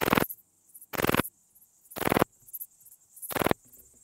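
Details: Song of Pachytrachis gracilis recorded at Vela Ucka, Croatia, on 30 July 2023. Four loud, gritty, buzzing chirps come roughly a second apart, each about a quarter-second long, with faint ticks between.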